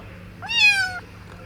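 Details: Tiny black kitten, still nursing on its mother's milk, found in a bunker used as an air raid shelter, gives one clear, bright half-second meow that rises slightly then holds steady, over a low hum.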